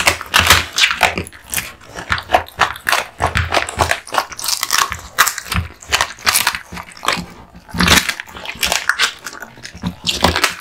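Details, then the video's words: Duck spine jerky being chewed by Kotetsu, a male American Bully born in 2016; loud, rhythmic crunches and moist smacks about twice a second, with deeper thumps now and then. "Dog eating Duck spine jerky"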